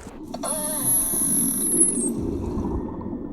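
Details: A beluga whale gives a contact call, a tonal whistle that bends and wavers. It is a survival call used only when a beluga is isolated from the group, connecting a calf to its mother.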